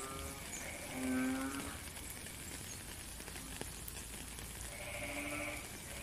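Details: Frogs calling in rainy weather, recorded in nature: two short, low, nasal droning calls with buzzy overtones about four seconds apart, over a steady hiss of falling rain.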